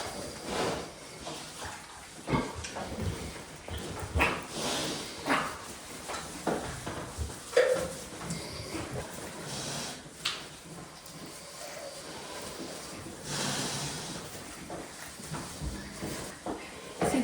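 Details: A lively newborn piglet, shaking its head, gives short, scattered squeaks and grunts while a person talks nearby, during early-morning farrowing in a barn in northern Alberta in February.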